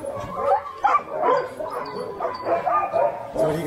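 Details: Sled-pulling Alaskan Huskies at Snowhook Adventures in Willow, Alaska, bark and yip in a rapid, irregular overlapping chorus, with some human voices faintly underneath.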